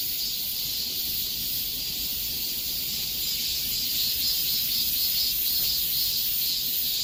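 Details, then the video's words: A chorus of cicadas in summer heat makes a continuous high, hissing drone that throbs roughly twice per second. No other voices or noises stand out. "삼복더위에 들을 수 있는 매미 소리"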